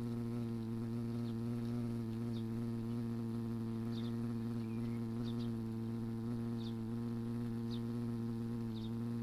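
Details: European hornet on the attack against wasps in a summer garden with fruit, giving a continuous deep, even droning buzz throughout, while soft high chirps repeat roughly every second and a half in the background.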